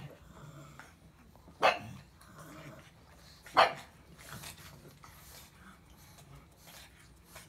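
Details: Grumbling pug with two loud barks about two seconds apart, surrounded by low growly murmurs and faint snorts.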